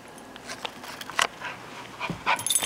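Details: Toastie, a six-month-old puppy, playing with a toy indoors: a handful of short, sharp yipping bursts scattered over a few seconds, with soft rustling and knocking of the toy between them.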